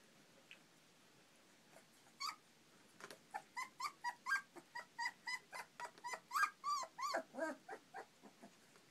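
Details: Four-week-old European Basset Hound puppies at morning playtime after breakfast, indoors; a quick run of high, harmonic yips and squeals with rising-falling inflections, about three or four per second, joined by soft growl-like grunts.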